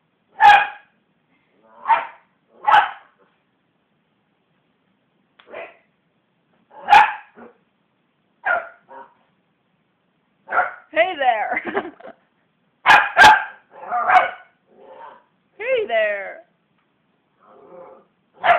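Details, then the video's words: Female West Highland White Terrier indoors, growling and barking because hands were bashing on the sofa; scattered sharp barks early, then rougher, wavering growl-barks and yelping whines bunched together later, with short silent gaps. "Belle Growling And Barking"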